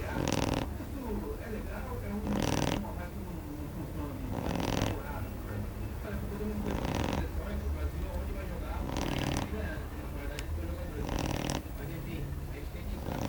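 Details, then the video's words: Kamy, a female Shar Pei, snores in her sleep: six rough, breathy snorts come about every two seconds, each a harsh burst. Softer low breathing fills the gaps between them. "Shar pei roncando"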